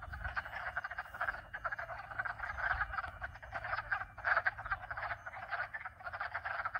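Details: Several frog species calling together in a dense, unbroken chorus of rapid pulsing croaks, steady in loudness, with a low pump hum and faint chime tones in the background.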